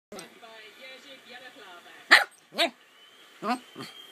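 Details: A Cockapoo playing on a bed barks four times, short sharp yaps in two pairs during the second half, after a stretch of steady background speech from a television.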